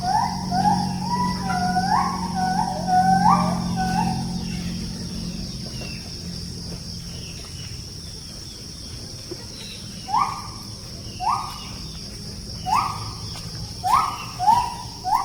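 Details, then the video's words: Wild gibbons singing near a forest settlement, where they come daily to eat forest fruit: series of clear, rising, hooting notes, first in a quick run, then louder spaced whoops about once a second, over steady high insect droning and low rumble. "Bunyi Nyanyian Ungka / Gibbon"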